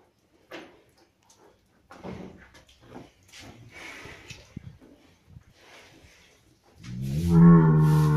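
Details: Cattle on a farm with a very clean barn: scattered knocks and low shuffling sounds, then a loud, deep, drawn-out moo with rich harmonics over the final second and a half.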